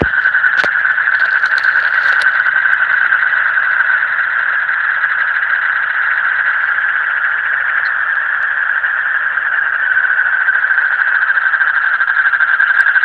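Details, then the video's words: Frogs calling in the deep night, a dense, unbroken chorus of buzzy trilling held at one steady mid pitch for the whole stretch, with a faint low hum underneath and a brief click near the start. "Call of the frog in the deep night"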